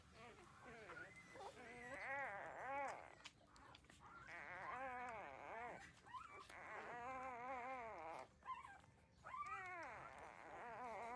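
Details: Thirteen-day-old puppies breastfeeding from their mother, with long drawn-out wavering whines, several overlapping, each rising and sinking in pitch over a second or two, amid soft rustling.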